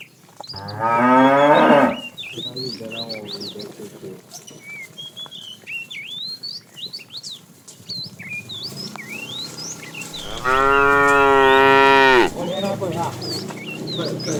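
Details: Tame cow in a herd being driven in the afternoon, a fat cow calling the female: a harmonic moo near 1–2 s, a second loud drawn-out moo near 10–12 s, with many whistled bird chirps in between.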